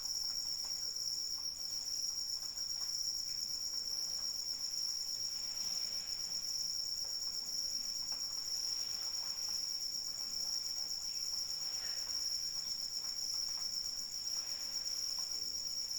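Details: Continuous high, ringing cricket trill in the rain, an even unwavering tone with a fainter shimmering layer above, set against a constant hiss of falling rain.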